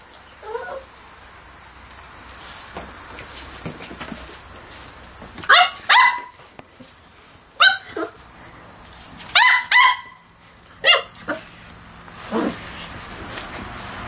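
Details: Dog playing on a porch with squeaky toys; short sharp barks or squeaky yips come in scattered bursts, a few close pairs, over steady high background hiss.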